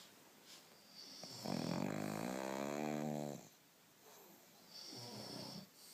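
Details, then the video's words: Pug named Theodora sleeping with her eyes open, snoring very loudly: one long rasping, tonal snore lasting about two seconds, then quieter breathing, with a faint steady high whine in the background. "my pug, strange sleep and very loud snoring!"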